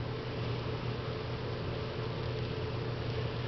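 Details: Only a steady mechanical hum and broadband noise, like an engine or fan, with no animal voice. A low drone runs unchanged throughout.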